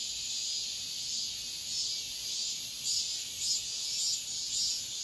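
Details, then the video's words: Dawn chorus of cicadas in high summer, a bright unbroken buzz pulsing in gentle waves roughly twice per second. "새벽매미소리를 들어보자"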